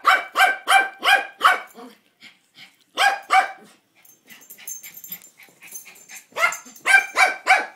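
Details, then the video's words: Toi, a pet dog, barks at the mail man: five quick barks in a row, a brief pair after a pause, then faint background noise before four more loud barks close it. "Toi barking at mail man"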